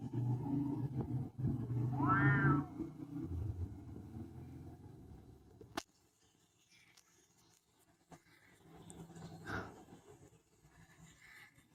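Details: Cat's short, high meow rising then dropping, heard over a steady low hum that cuts off abruptly, followed by quieter rustles and a brief faint call.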